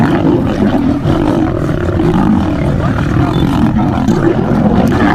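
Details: Male lion in a fight, coming to the aid of a female lion; steady, rough, low snarling and growling without pause, thick and raspy across the whole stretch.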